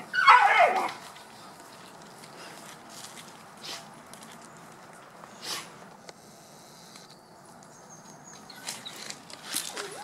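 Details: A dog lets out a single short, harsh yelping bark within the first second. Quiet indoor-sounding background follows, with faint clicks, rustles and a few soft knocks.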